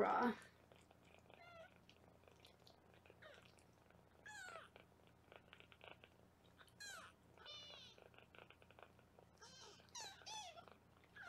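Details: Foster kittens being weighed on a live 24/7 kitten cam in Los Angeles give repeated thin, high-pitched mews, some rising and some falling, scattered across the stretch against a quiet indoor background.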